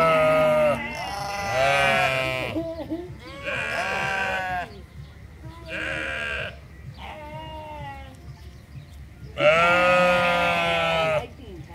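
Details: A group of sheep bleating at the Toronto Islands Centre Zoo, a run of five bursts of shaky, harmonic-rich bleats of one to two seconds each, with quieter overlapping calls between them.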